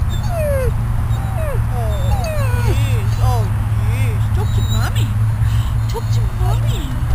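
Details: Riddick, a dog just out of ICU at Bryanston Veterinary Hospital, whines on the grass outside, uncomfortable and probably hungry: quick, sliding whimpers one after another, with people talking and a constant low hum beneath.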